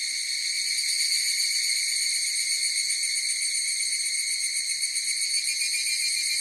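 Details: Several higurashi cicadas sing together in a steady, piercing high ringing hum with a rapid shimmering pulse, layered tones held level throughout, nothing else audible.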